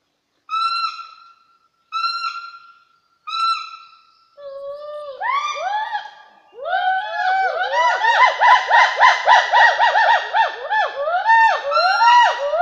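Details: Gibbon calling in Hollongapar Reserve Forest, Assam, India: three spaced, steady hooting notes, then lower notes that rise into a fast run of loud, rhythmic whoops, each swooping up and down, growing steadily louder.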